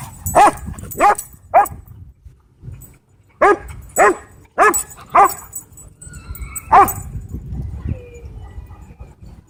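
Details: Dog at a dog park, described as untrained and out of control, barking loudly: three quick barks, a short pause, then four more in a rapid run and a final single bark, with faint whistle-like tones and background noise.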